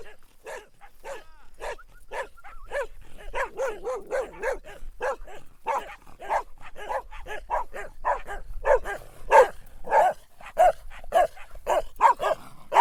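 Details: Persistent dog barking, starting with spaced single barks and building into a faster, louder, overlapping stream of barks toward the end.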